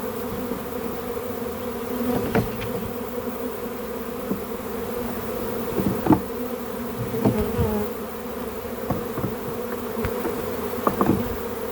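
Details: Backyard swarm of honey bees during capture for a home hive, giving a continuous droning hum with several sharp knocks and handling clatters throughout.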